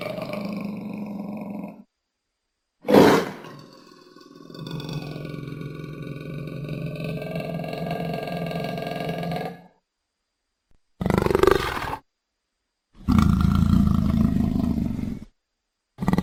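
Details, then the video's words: Leopard giving low, rough growling roars in several separate bursts: a long rumbling growl, then shorter harsh rasping calls cut apart by sudden silences, with no other sounds around them. "Tunog ng LEOPARDO | Sound of LEOPARD"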